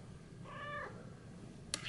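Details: Startled house cat Theo (Shio-chan), spooked by the other cat Thea, gives a brief level meow with stacked harmonics lasting under half a second, followed later by a sharp click.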